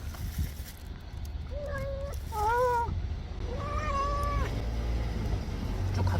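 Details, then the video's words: Stray cat meowing while eating kibble: three drawn-out, tonal meows in close succession, each rising slightly and then falling, over a low background rumble. "야옹 야옹 울면서 사료먹는 길냥이"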